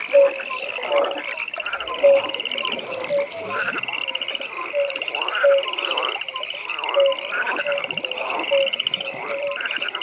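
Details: Evening pond frog chorus: a continuous high buzzing trill over repeated short tonal notes and grating croak bursts coming about once a second, many animals overlapping.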